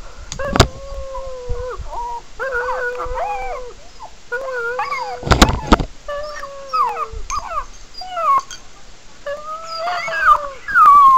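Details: Pekingese dog worked up while hearing animal whining played on a laptop, giving long wavering whines and howl-like cries, steady then bending up and down, in bursts of one to two seconds, broken by sharp clicks and a bark-like burst.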